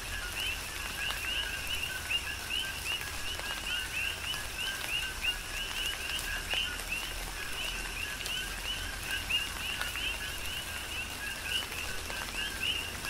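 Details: Steady chorus of coqui frogs recorded in a tropical rain shower on Hawaii's Big Island, with loud, rapidly repeated rising chirps from many frogs over a continuous background of rain and dripping water.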